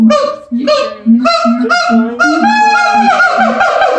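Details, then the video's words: Siamang gibbons howling in captivity at the L.A. Zoo: loud, strongly harmonic hoots repeated in quick succession, stepping upward in pitch and swelling into a rising, sustained bark-like chorus toward the end. "Siamang Gibbons Howling"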